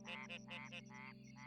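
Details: Red-eyed tree frog, whose vocal sacs resonate to project the call far: a quick run of four rich, nasal croaks, then a longer drawn note and a softer one, with a constant humming musical drone underneath.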